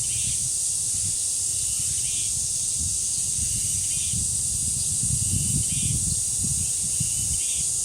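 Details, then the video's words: Cicada chorus at a village shrine grove in Korea, a continuous shrill high buzz, small chirp bursts recurring about every one and a half seconds, and gusty low wind noise throughout. "매미소리와 바람소리 그리고 새소리"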